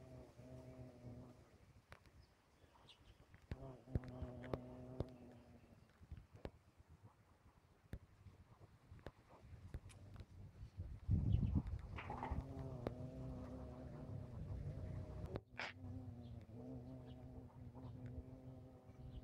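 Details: A bumblebee passes repeatedly in bursts of low, harmonic-rich buzzing of a few seconds each, separated by quieter gaps. A louder rustle sounds in the middle, with occasional bird chirps and outdoor ambience.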